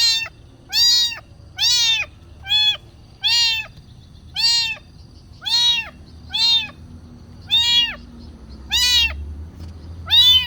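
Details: A kitten meowing to ask for food: eleven clear, evenly spaced meows over ten seconds, each rising then falling, high and harmonic, with a quiet background.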